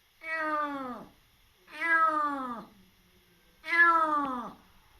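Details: Wary rescued kitten, just over three months old and in foster care, gives three drawn-out meows that slide downward at the end, evenly spaced in near silence.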